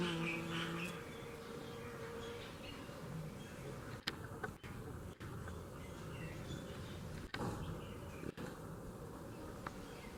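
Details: Honey bees working in Kashmir, a dense low steady buzzing hum filling the background, with a few sharp clicks and brief chirps from birds above.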